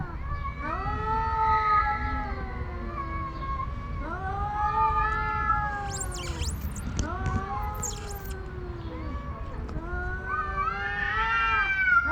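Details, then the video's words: Two homeless male cats, a tuxedo among them, face off over a watching female house cat without fighting; long, drawn-out harmonic yowls that waver and fall, repeated in overlapping waves, with a few brief rustles and a person nearby. "Homeless Cats in a Battle to Win the Heart of a House Cat"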